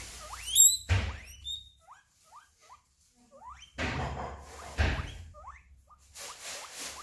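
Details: Guinea pig squealing, a call the owner links to pain, a need for attention, or another guinea pig taking its favourite feeding spot; sharp rising squeals repeated irregularly, with thumps and rustling bursts between them.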